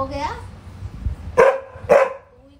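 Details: Max, a pet Labrador at a family home in Delhi, playing with his mother and barking after catching the scent of a dog in the lane below; a woman talks to him, then two sharp barks about half a second apart.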